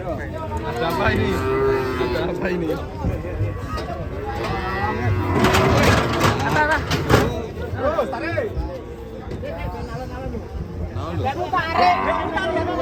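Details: Cattle being unloaded from a truck, lowing in drawn-out harmonic calls at the start and again near the end, mixed with loud shouting voices, a burst of clattering noise midway and steady engine rumble.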